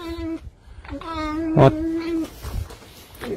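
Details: Fox kept indoors, protesting while being groomed: a long, steady, reedy whine held for over a second, briefly broken off, with a dull knock partway through and a woman's low voice before and after.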